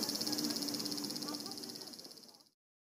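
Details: Cicadas in a Japanese summer, claimed to exceed 120 dB, recorded on a Panasonic Lumix TZ20/22: a dense, loud pulsing buzz high in pitch, throbbing rapidly for about two and a half seconds before cutting off.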